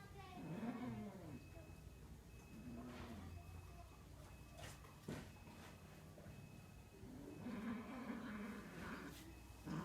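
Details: Cats during mating, low drawn-out wavering yowls rising and falling in several long bouts, with background hum and clicks.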